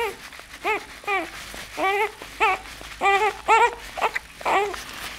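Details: Nine-day-old bull terrier puppy giving a run of thin, arched whimpers and squeals, some doubled, irregularly spaced over a few seconds amid soft rustling.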